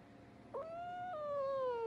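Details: A domestic cat gives a long, drawn-out, tonal meow. It starts with a short catch, holds steady, and then steps slightly up before slowly sinking over more than a second. The background is faintly noisy.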